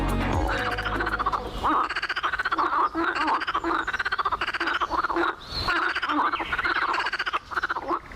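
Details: Toads giving mating songs said to carry a kilometer, in a wetland shaped by beavers: a dense, rapid pulsed trill running almost continuously, with several callers overlapping, and a low hum at the very start.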